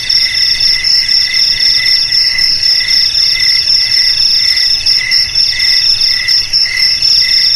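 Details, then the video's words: Crickets (jangkrik) offered as a sound to drive rats from homes and fields: a dense, continuous high insect chorus, a steady shrill trill layered over lower pulsed chirps repeating about every half second, with no other sounds. "Suara JANGKRIK"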